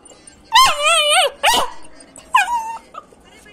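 A Belgian Malinois puppy gives high, whiny yelping barks, one long and wavering, then two shorter ones.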